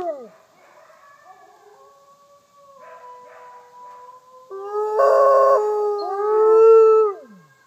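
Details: Captive Mexican gray wolves at a conservation center in South Salem, New York, in a group chorus with Arctic gray, Rocky Mountain gray and red wolves: long, smooth, overlapping howls sliding up and down, several voices layered, swelling loud near the end.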